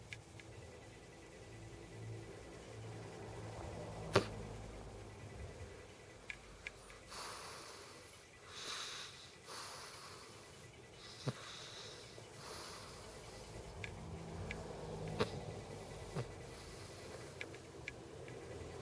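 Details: Snoring cat indoors, soft breathy rushes in and out repeating about every second and a half over a steady low room hum, with a few sharp clicks.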